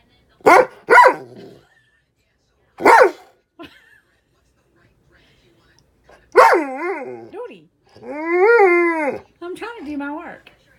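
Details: Dog demanding attention from its owner while she tries to work; a few short sharp barks early on, then drawn-out, wavering whining howls with a rising and falling pitch, and a woman's voice speaking to it.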